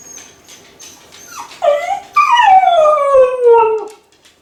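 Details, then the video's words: Kai Ken dog left home alone, lonely and howling from a high spot as if calling its family to come home: a short rising yelp, then a long harmonic wolf-like howl sliding steadily downward for about two seconds, with faint clicking before. "甲斐犬の遠吠え！🙀】留守番犬の鳴き声 ！狼みたいだけど寂しい声に切なさも感じる"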